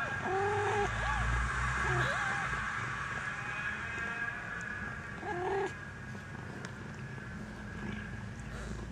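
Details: Maine Coon kittens at a single-breed cattery in Saint Petersburg, Russia: three short arched mews, two close together in the opening seconds and a third a few seconds later, over a steady low indoor hum.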